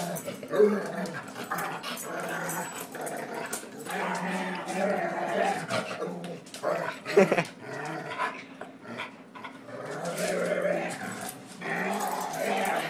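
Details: Indoors, an angry dog that doesn't like being pushed around growls steadily with throaty rumbles and snarls, overlapping a man's voice repeatedly calling it a good boy.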